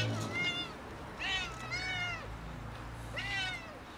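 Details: Several cats asking to be fed, giving a series of meows with rising then falling tone, three or four drawn-out calls spread across the clip, some overlapping, over a soft background hiss.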